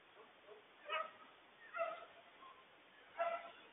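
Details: Coyote family yipping and howling in a frantic warning about a huge loose stray dog; three loud wavering yelping bursts about a second apart over a noisy background.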